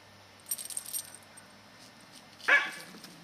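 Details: A Scottish Terrier named Katie, ten years old and female, out chasing squirrels in November 2008; light metallic jingling comes first, then one short, loud bark.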